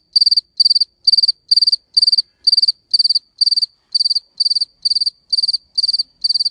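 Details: A male cricket gives steady, high-pitched chirps to attract females, each a quick trill of four or five pulses.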